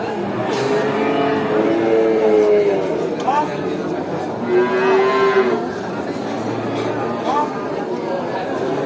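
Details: Several cattle at a traditional animal market moo in long, steady harmonic calls, some rising at the end, over a constant din of people and activity.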